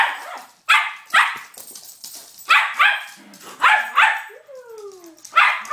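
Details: Pet dog excitedly playing with and throwing a toy car, barking loudly in sharp bursts, about eight barks often coming in quick pairs, with a brief falling whine midway and quiet shuffling between barks.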